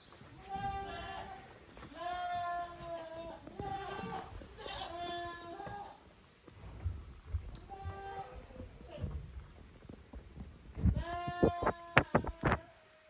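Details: Young goats, the kids of Koharu and Okayu, at play in two teams on a handmade goat farm, 13 June 2023; a run of clear, quavering bleats, several in quick succession, then a pause and a final burst amid sharp taps.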